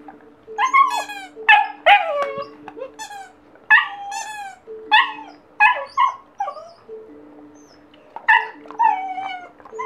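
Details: Seven-week-old German Shepherd Husky cross puppy, happy after discovering a squeaky toy, gives bursts of high, harmonic yips and whiny cries, many falling in pitch, in short clusters a second or two apart over a steady faint tone.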